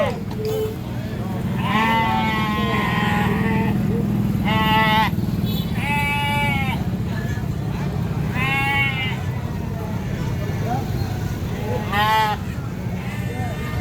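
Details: Sheep being taken to market by a farmer bleat in quavering, wavering cries over a steady low rumble and people's voices.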